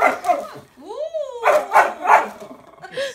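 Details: A Chiweenie dog, apparently feeling threatened by a painted portrait of himself, gives a rising whine, then three quick, sharp yappy barks, with people talking.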